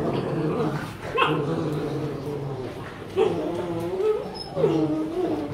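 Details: Rottweilers from a group of dogs given playful makeup, vocalizing in high, tonal whines and short yips that rise and bend, with sharper bursts near the start, middle and end, over a steady murmur of room noise.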